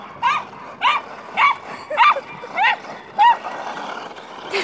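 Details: Welsh Terrier frantically chasing a remote control car, giving a series of high, rising-falling whining yips repeated about every half second, six in a row, over a steady background hum.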